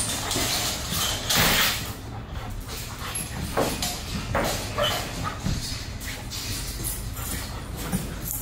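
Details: German Shepherd described as aggressive and reactive, at the start of training, barks in short rough bursts scattered through the recording over steady road-like noise.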